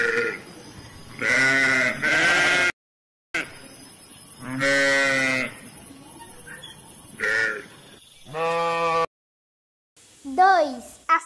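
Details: Several loud sheep bleats, some long and quavering, others short, broken by brief silent cuts; a squeaky higher sound flickers near the end.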